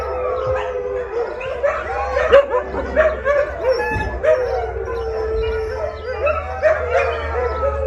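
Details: Group of hungry rescued Siberian Huskies howling before their evening dinner, one long steady howl held underneath while others add short rising yips and wavering cries, a low hum in the background.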